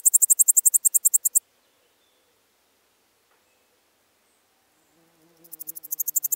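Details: Pholidoptera littoralis singing at Seewiesen, Germany, in July 2023, recorded with an ultrasound detector: a burst of evenly spaced high ticking pulses ends, a long pause follows, then a new rapid pulse train starts quietly and grows louder.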